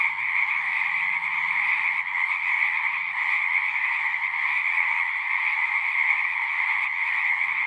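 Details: Many frogs singing at once, forming a steady shrill trilling chorus with two bright pitch bands, over a faint low hum early on.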